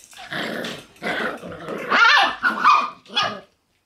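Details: Two black Shiba Inu puppy brothers born on 30 January, playing with harsh, raspy little growls and yappy bursts, rising into squeaky grumbles, about six bursts over three and a half seconds.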